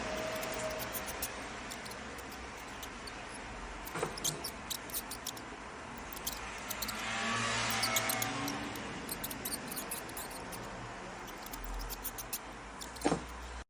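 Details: Mouse giving high-frequency squeaks: very short, thin, piercing chirps in irregular bursts, clustered near the start and the end, with a soft steady hiss, a few dull knocks and a brief rustling swell midway.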